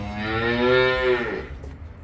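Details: A Simmental bull calf up for sale moos for about a second and a half, a full harmonic bellow swelling slightly then sinking as it trails off, with faint low background rumble.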